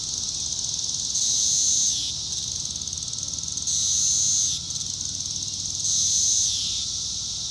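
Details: Magicicada cassini of Brood IV, Shawnee Mission Park, Kansas, June 5, 2015, tymbal vibration: three loud, sustained high buzzes, each about a second long, repeating every two to three seconds and dropping in pitch as they end, over a steady cicada chorus.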